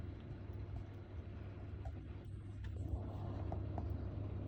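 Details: Steady low rumble like distant traffic with faint hiss, and no animal voice.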